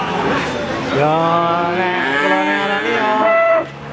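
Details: Crossbred Simmental calf giving one sustained, even-pitched moo of about three seconds, full and harmonic, ending abruptly.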